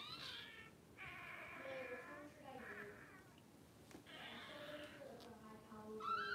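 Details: Puppies during a livestream kept running through a power outage: several drawn-out, high, tonal whines, some sliding downward and others wavering, separated by short pauses, over a faint room hum.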